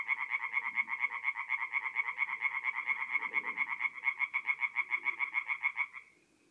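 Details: Tree frogs singing at night at a forest pond in north-east Italy in mid-April: a fast, steady train of nasal croaks, about seven per second, lasting six seconds, with a softer low murmur underneath.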